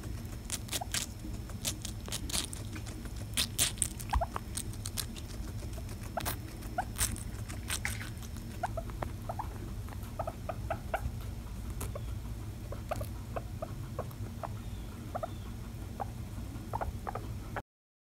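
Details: Guinea pig eating watermelon, filmed close up as ASMR: wet crunching and smacking bites in rapid irregular bursts throughout, with sharp clicks and a steady low background hum.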